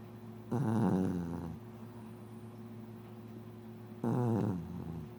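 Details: Female mixed-breed dog, born 25 December 2004, snores loudly: two harsh, low, rattling snores about a second each, separated by three seconds of near silence.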